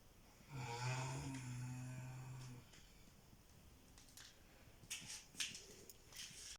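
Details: Sleeping cat snoring indoors in a quiet room; a single low, buzzy snore with a raspy edge lasts about two seconds, then soft rustling and small clicks follow.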